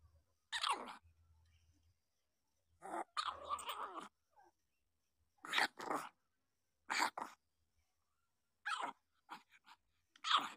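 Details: Seven-day-old puppies, newborn litter, giving short broadband whimpering squeals in separate bursts about every one to two seconds, with a low hum between some calls.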